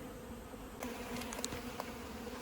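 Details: Honey bees swarming around a 15-year-old hive opened up in a house wall during removal. A steady low hum runs throughout, broken by several sharp clicks and knocks from handling.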